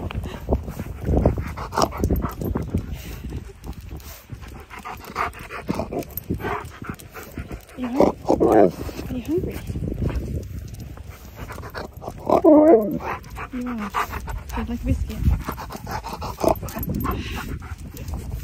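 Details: Siberian Husky called Key talking and snorting at its owner during a walk, drawing looks and laughs from passers-by; short wavering, howl-like vocal bursts near eight and twelve seconds, mixed with human voices and outdoor background.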